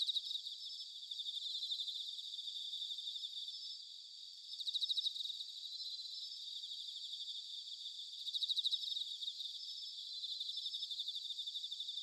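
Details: Autumn chorus of bell crickets recorded in Sanuki, Chiba Prefecture, Japan: a continuous high, pulsing ring with two brief louder trilled swells about four seconds apart, no other sounds.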